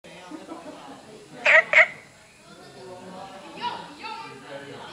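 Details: Günther's frog recorded on 23 September 2015, giving two quick, harsh barking notes close together, with fainter answering calls after a short pause over a low background hiss.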